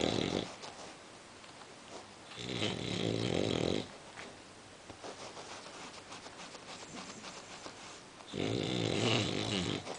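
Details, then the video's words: A sleeping female English Bulldog snores loudly, each rasping, rumbling breath lasting over a second, with quieter breathing between, as people fail to wake her. "Funny English Bulldog Sleeping, SNORING and we Tried to Wake her"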